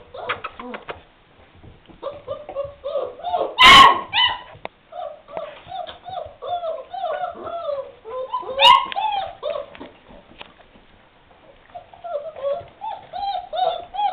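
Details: Several 3½-week-old puppies of a litter at lunchtime, indoors, giving many short rising-falling whines and yelps in quick succession, with two loud sharp clattering bangs and a person's voice calling in the background.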